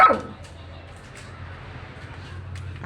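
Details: Dog giving a single short, sharp bark right at the start, followed by near silence with a low steady hum in the background.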